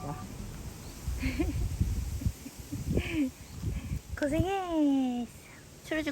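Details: A cat called the boss cat, in a yard, gives one long drawn-out meow that swells and then slowly sags in pitch. A woman talks softly just before it, with faint outdoor background noise.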